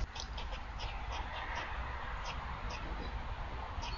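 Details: Squirrel crying out in reaction to a predator on November 27, 2022, with rapid, rhythmic, clipped barking notes, slightly fainter, repeating evenly through the clip above a heavy low-pitched background rumble.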